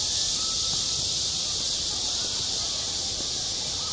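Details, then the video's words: Cicadas singing on a school playground in midsummer: a steady, unbroken high hiss without pauses, with faint low rumble beneath and a faint tonal line in the middle range. "한 여름 운동장에서 매미가 울고 있다 - 여름의 소리, 학교 종소리, 매미 울음소리"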